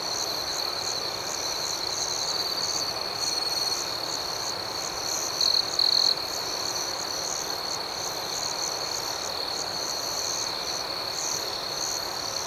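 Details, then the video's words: Crickets singing through the night, a continuous high-pitched trill with soft rhythmic pulses; around the middle a nearer cricket adds two brief louder chirp bursts. "Soothing Cricket Sounds"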